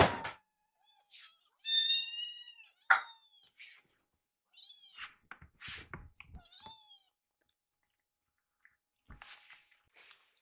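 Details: Indoors, two foster rescue kittens wait for food in front of a microwave, mewing in short plaintive bursts, a few wavering and drawn out, mixed with knocks, rustles and clattering.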